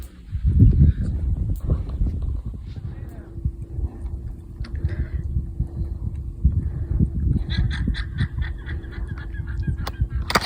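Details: Alpacas on a UK smallholding give shrill, honking alarm calls in short repeated bursts over heavy low rumbling noise, alarm calling because the pigs are out after buffalo broke their enclosure, during a wet, windy late July.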